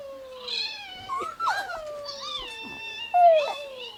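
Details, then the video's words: Indoor Chihuahua howling along with dog howling videos on a phone: long, drawn-out tonal wails that sag in pitch, with a sharper, louder yelp-like rise toward the close and faint background music. "chihuahua howling"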